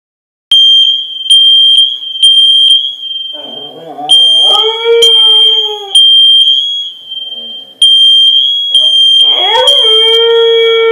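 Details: Siberian husky (Canis lupus familiaris), howl: responding to a fire alarm.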